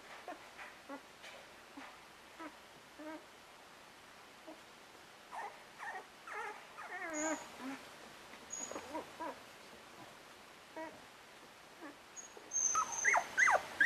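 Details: English Cocker Spaniel pups just over two weeks old whimper and squeak in their nest, soft scattered yelps building to louder rising squeals near the end, with occasional high clicks.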